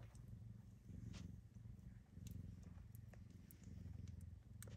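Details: Seal Lynx Bengal kittens, one week old, make a continuous low, pulsing purr that swells and dips in loudness, with occasional faint ticks and rustles above it.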